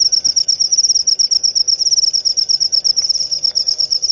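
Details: Cricket chirping, said to drive away rats and used as a lure sound: a dense, high, steady trill of rapid pulses holding one pitch, nearly continuous and pulsing several times a second.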